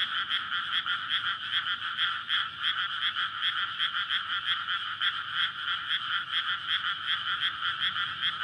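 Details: Many frogs calling in courtship after a rice field was flooded before May planting, recorded at night on a SONY PCM-D100. Rapid, overlapping croaking pulses, roughly three a second, blend into an unbroken, loud chorus.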